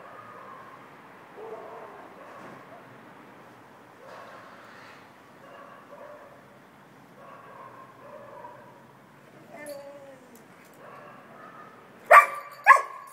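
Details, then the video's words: Lone Irish Setter crying out for its absent family, a string of soft, wavering whines and whimpers rising and falling for about twelve seconds, ending in two sharp, loud barks close together. "Irish setter cries out : "Where are you all?""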